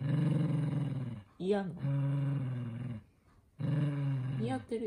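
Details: Angry toy poodle named Minato resisting socks being put on, indoors: long rumbling growls of over a second each, the second rising briefly into a snarl, broken by a short pause.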